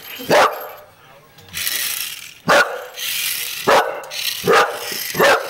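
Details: English Bull Terrier going after a toy race car it cannot catch: five short, explosive barks spaced about a second apart, separated by hissy rustling and handling noise.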